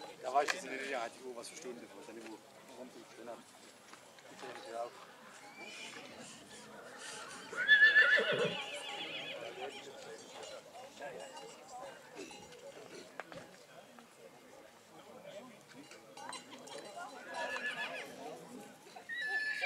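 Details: Black Forest draught horse neighing at a foal show in St. Märgen on 11 August 2022: one loud, brief, shrill whinny near the middle, set in a steady bed of crowd talk, announcer speech, background music and scattered clattering.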